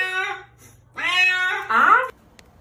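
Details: Cat being bathed, giving three loud harmonic meows: a short first cry, then a longer drawn-out wail, then a strained, rising-and-falling yowl, with a faint steady hum under a small indoor room.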